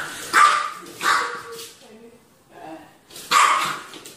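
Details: Puppies barking: three sharp, high yipping barks, one near the start, another a second later, and a last burst after a pause, with softer low whimpering sounds in between.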